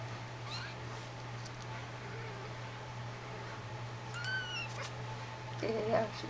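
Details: Jitterbug, a roughly four-week-old Persian kitten, near her water and food dish indoors: one short, high, harmonic-rich mew midway, with faint shorter squeaks, rustling and a low constant hum around it.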